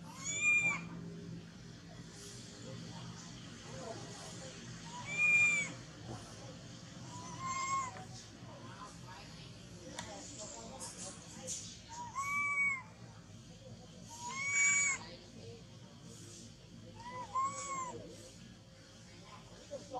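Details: Baby monkey that has lost its mother, shaking its body and hugging a tree, gives arched, whining cries with bright overtones, repeated roughly every two to three seconds over a steady noisy background.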